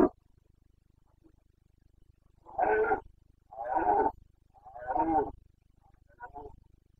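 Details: Roaring (boncănit) of a Carpathian red deer stag in Bucovina, Romania, during the 2022 breeding season: a series of four hoarse, grunting roars about one second apart, the last one weaker, over a low background hum.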